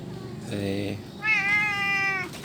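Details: Orange cat that hangs around a parking area: a short lower meow, then a longer, level, drawn-out meow with rich harmonics, over a steady low background hum.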